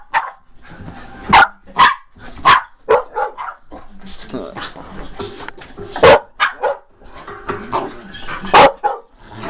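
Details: A dog giving about five sharp, loud barks spread unevenly over ten seconds, the strongest near the start and end, with a person talking almost continuously underneath.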